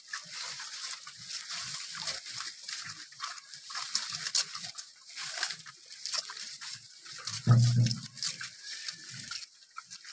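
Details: Wild boar active in the morning, giving scattered low grunts with one loud deep grunt near the end, over a steady high-pitched hiss and rustling.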